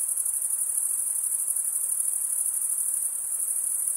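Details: Chorus of male crickets stridulating with their wings: an unbroken, shrill high trill with a faint rapid pulsing texture, steady in loudness, nothing else audible.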